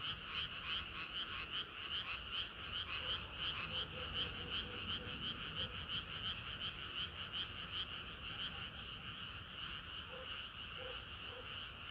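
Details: Frogs singing in chorus on a hot summer night: dense, overlapping croaks in steady rapid pulses, roughly three per second, with a bright upper band and a lower voice weaving beneath, continuous throughout.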